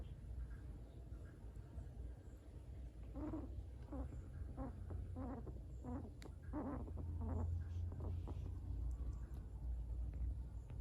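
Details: A male guinea pig grooming himself gives a quick run of soft, squeaky chirps over a low steady rumble of background noise.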